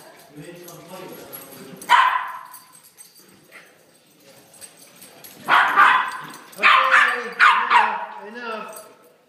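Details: Several puppies playing together let out high, piercing yips and barks in uneven bursts, four loud ones clustered late, with softer whining and voices between.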